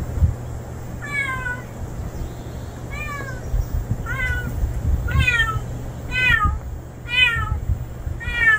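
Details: Male stray cat, a newcomer never seen before, meows over and over: seven short, bright calls spaced roughly a second apart, each falling slightly in pitch, over a low humming background.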